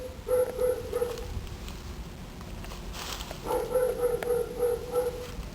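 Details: Dog named Domino barking outdoors in two bursts of rapid, high-pitched yaps, about three per second, with a quiet pause between them while a person urges it to go.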